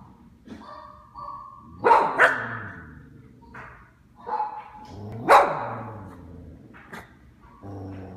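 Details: Pet dog barking at a recording of himself barking, a loop of the dog reacting to his own voice: short harsh barks around two and five seconds with softer yips and whines between, sounds from the playback mixing in.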